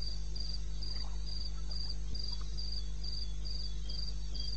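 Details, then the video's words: Night-time cricket in eastern Botswana wilderness, 2:30 AM, 21 May 2016, giving evenly spaced bright chirps a little over three each second, a second softer chirper in the background and steady low-frequency hum beneath. "1 Hour cricket sound-Africa-No loop-Real recording. Not edited."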